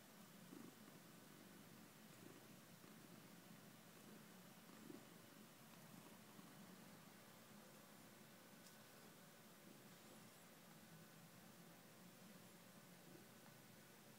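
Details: Soft, continuous purring from a cat, a low vibrating drone with a regular pulsing texture and a faint steady hum underneath.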